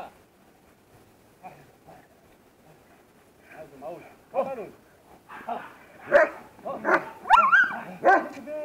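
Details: German Shepherd in protection training, barking in short sharp bursts that start faint and grow louder and closer together through the second half, with voices in the background.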